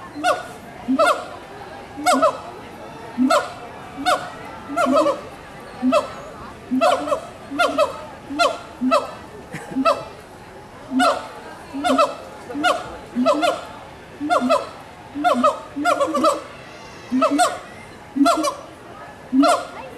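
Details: Steady exchange of hooting calls between gibbons at Walt Disney World's Animal Kingdom, 2018. Rising, ringing notes come about once a second, sometimes overlapping as two callers alternate, with light visitor chatter behind.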